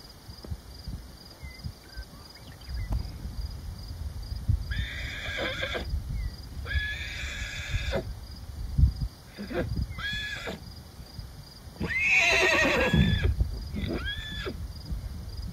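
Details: Wild horse herd of stallions and mares in Wyoming, USA: several loud, harmonic, squealing whinnies, some sliding downward, come in bursts of about a second, spread across the clip over a steady low rumble of hooves and movement.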